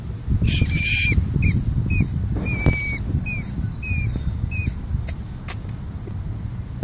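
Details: Rat squeaking: a series of short, high, thin squeaks, some rising and some falling, spaced irregularly over several seconds above a constant low rumbling background noise.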